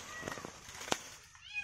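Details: Kitten stuck high on a tall, thin tree during a rescue, giving a thin rising-and-falling meow near the end, with earlier faint tonal calls, clicks and a sharp knock amid outdoor background noise.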